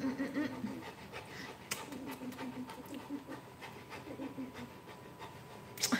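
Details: Rottweiler puppy panting during a morning livestream with several puppies: soft, rapid, breathy bursts repeating through the moment, with faint voices talking nearby and a low room murmur.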